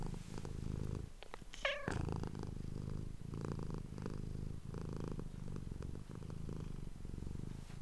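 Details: Close indoor recording of a female house cat purring in response to whispering: a steady, evenly pulsed low rumble that continues throughout, interrupted once early on by a quick squeaky sweep.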